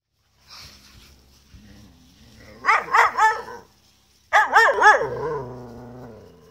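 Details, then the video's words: Beau, a Gerberian Shepsky dog, pestering his collie cross German Shepherd sister Venus to play while she refuses; a faint low murmur, then two bursts of wavering, yelping whines that trail off into a long drawn-out moan. "Beau wants his sister Venus to play with him."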